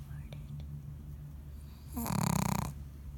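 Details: Pug bitch sleeping and giving a single deep, vibrating snore of under a second after near silence, with soft whispery breathing around it.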